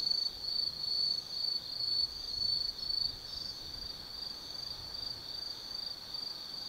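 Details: Forest insects on an autumn night at Tsukimi no Mori lookout, Kaizu, Gifu, Japan: loud high chirping pulses in bursts about twice a second, fading to a softer steady trill, over a quiet low hum.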